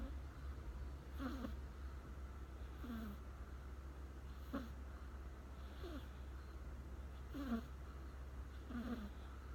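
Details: American Shorthair cat that sat down beside its owner and fell fast asleep, snoring softly. Short, faint rasping snores repeat about every one and a half seconds against a low background hum.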